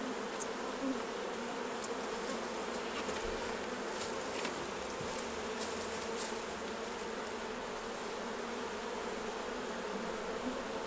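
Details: A massed, continuous hum of honey bees fills the air as honey is removed from the hives, with soft, rapid ticking of equipment in the first half.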